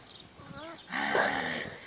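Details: Great Dane puppies of litter F, 5.5 weeks old, recorded 4 June 2014: brief wavering whines slide downward, then a louder, drawn-out harmonic yowl lasting nearly a second, with a person talking softly in Czech nearby.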